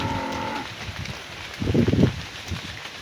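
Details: Cow calling to its herd while being herded back to the barn in the afternoon; a low, steady, tonal moo fades out within the first second, followed by a short burst of rough, noisy rustling and outdoor rural ambience.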